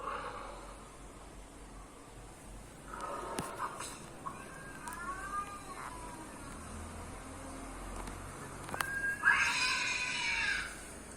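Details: Domestic cat responding to other cats' noises: scattered short tonal mews and clicks, then a louder harsh, bright yowl near the end, with faint room noise behind.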